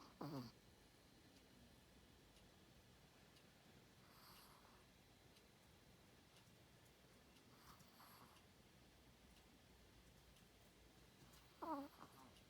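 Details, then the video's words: Tiny four-pound Chihuahua asleep and snoring like a pig indoors, with short snorting breaths recurring roughly every four seconds and quiet room hush between them. "Snoring Chihuahua"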